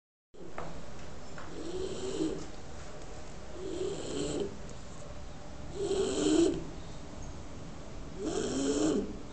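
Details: Bulldog named Maro, an eyebrow-marked dog, sleeping very comfortably; rough, buzzy snores with a tonal whine rise and fall in breaths about every two seconds, four snores heard against a steady low hiss.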